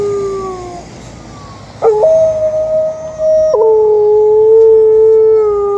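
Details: Female Alaskan Malamute howling in the morning at an ambulance she cannot see; long, steady tonal howls that jump up in pitch, hold, then settle onto a lower sustained note, with a faint high tone in the background.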